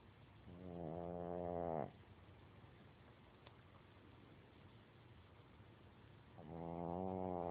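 A Boston Terrier snores in long, rattling, buzzy breaths, two loud snores separated by a quiet pause.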